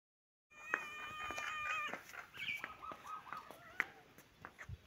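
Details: Baby kitten and adult cat playing together in a happy mood; a string of high, thin mews, some wavering and falling in pitch, come in quick succession among scattered soft clicks and thumps of play.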